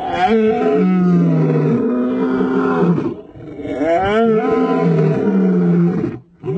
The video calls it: TOP 5 Powerful Roar of male lions